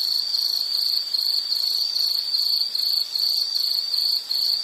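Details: Insect calling in a nature relaxation recording: a bright, high, pulsed trill in short bursts nearly three times a second, with brief dips in loudness between some bursts.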